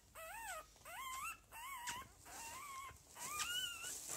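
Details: Lagotto Romagnolo puppies from a home breeder's second litter, 6 January 2015, give clear drawn-out whimpers: five or six wavering, nasal whines with rising and falling pitch, each under a second, separated by brief pauses.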